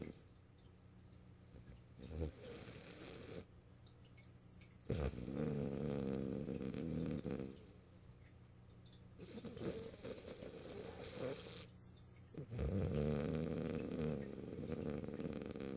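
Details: Held on the owner's lap after asking to be picked up at the computer, Morio the French Bulldog sleeps deeply on 8 March 2012, giving long buzzing, rattling snores that alternate with quieter in-breaths roughly every few seconds.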